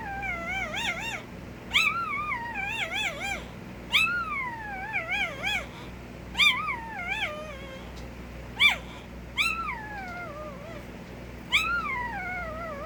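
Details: Puppy noises: a series of high, thin whines and yelps with wavering, rising-then-falling pitch, given in short bursts every second or two, some drawn out and sliding downward, over a faint steady background hum.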